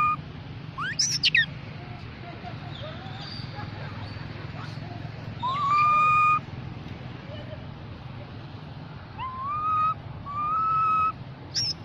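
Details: Infant mona monkey calling for its group: an early rising squeal, then flat whistled tones that climb slightly and hold, repeated in spaced bursts over a constant low rumble.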